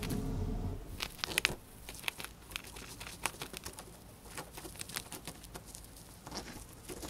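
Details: Pet hamster, female, gnawing dried corn up close for ASMR: a soft rustle at first, then rapid crisp crunching clicks in irregular clusters, some louder snaps, in a quiet room.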